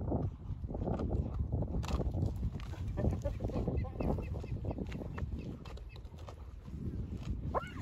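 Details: Spotted hyenas feeding on the remains of a fresh buffalo carcass after waiting all night for lions to leave. Dense, rough low growling and crunching continue throughout, with short higher yelps midway and a brief rising squeal near the end.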